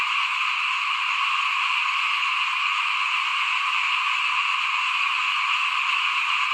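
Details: Many frogs calling in front of a house at rice sowing time, 2021: a dense, unbroken high buzzing chorus, with soft low croaks repeating under it about every second.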